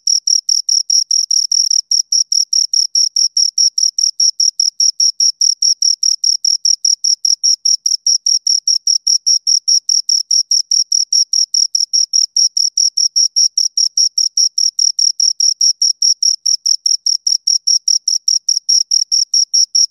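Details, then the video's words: Continuous stridulation from two crickets, a tight, regular stream of piercing high chirp pulses at about four per second with a faint higher overtone. It holds steady at an even volume from start to finish. "Two Crickets Chirp Sounds"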